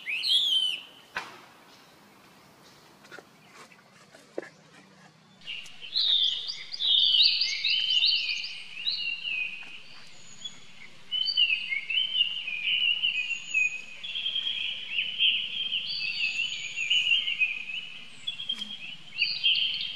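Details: High-pitched wavering squeals from a young monkey calling for help from his older brother Rainbow, an almost continuous run of strained cries after a brief quiet start.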